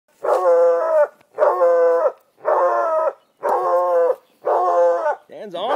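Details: Walker coonhounds baying at a raccoon up a tree: five long, harmonic, slightly rising howled bays, each about a second, spaced evenly with short gaps, a person's voice briefly heard at the end.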